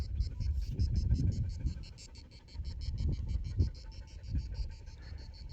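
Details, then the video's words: A cicada in a tall broom shrub near an oak grove sings a fast, rattling buzz of high pulses over a low rumble of wind on a Sunday in the shade, while goats browse nearby. "Cómo canta la chicharra, está ahí en esa escoba alta."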